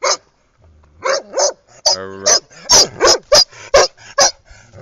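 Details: Female Irish red setter having fun on a walk round by a pool in 2010, giving a burst of sharp barks and yips in quick, uneven succession, with one drawn-out whining, harmonic-rich note partway through.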